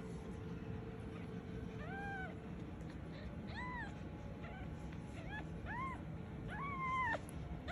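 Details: A small black kitten, possibly a Scottish Fold, gives high, thin meows, each arching up and falling, calling for its mother.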